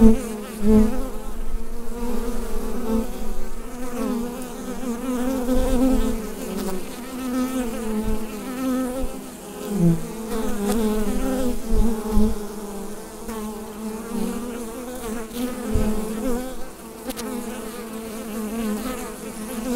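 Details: Bees droning inside a hive, picked up with a Rode NT-USB microphone. A steady, low-pitched collective hum with fluttering higher tones, broken by a few faint soft knocks.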